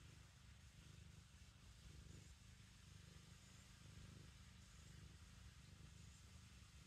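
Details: Black kitten kneading, making biscuits, while purring: a low, steady rumbling purr with a soft pulsing texture throughout, quiet and close, with faint background hiss.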